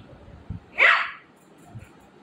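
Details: Shih Tzu puppy named Milo, quarrelling with mummy at home, gives one sharp, high, bright yap lasting about a quarter second, preceded by a couple of soft low thumps, with a quiet room behind.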